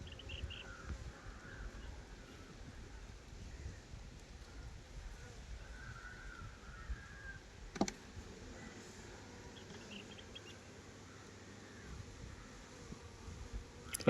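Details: Honey bees at a beekeeping site near Nellore, handled while the queen and larger black drones are picked out. A low, steady hum fills the clip, with faint bird chirps, a sharp click near eight seconds and a knock at the end.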